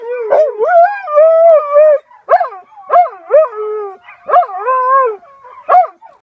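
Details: A domesticated gray wolf gives a series of short, wavering howls broken by yips, each rising and bending in pitch.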